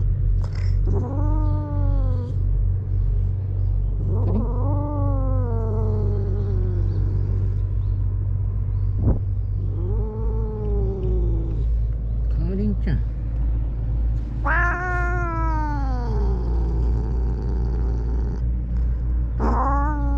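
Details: Karin, a ferocious stray cat in a Japanese park, yowls in long drawn-out caterwauls, each wail rising then falling, about five in twenty seconds, over a steady low rumble of traffic.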